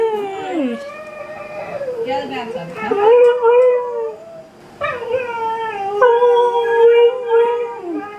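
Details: Pet Siberian Husky howling and talking indoors while watching dog videos, giving long wavering drawn-out notes that slide up and down, two howling bouts separated by a short pause, with soft background music.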